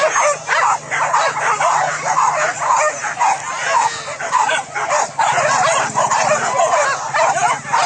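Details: Trained hunting dogs on a wild boar hunt in fields at Solok, West Sumatra, Indonesia, bark and yelp in a dense, overlapping chorus of sharp, rapid barks, with a steady low hum underneath throughout.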